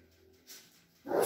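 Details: Cavalier King Charles Spaniel, a companion dog from a breeder's litter in a small village in the Sierra de Madrid, Spain, gives one short, sharp bark after a quiet stretch, cutting off abruptly, indoors.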